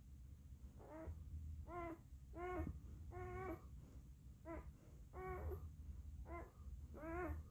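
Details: One-day-old singleton pup named Max, a German shepherd and Siberian husky mix, giving a series of high, wavering whimpers with rich harmonics, about eight short cries in quick succession, indoors in a quiet room with a faint steady hum.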